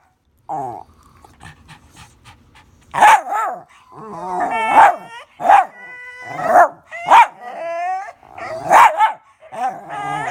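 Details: Dog making weird noises: a soft low rumbling start, then loud harmonic yelping cries with bending pitch, bursting out roughly every second and mixed with whiny glides.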